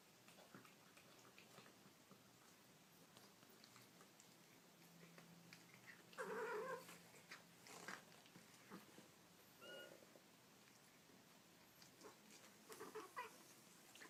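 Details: Baby kittens make cute noises in a small room. A clear, strained mew rises and falls after six seconds. Shorter, thinner mews follow near ten and thirteen seconds, with rustling and clicks between them.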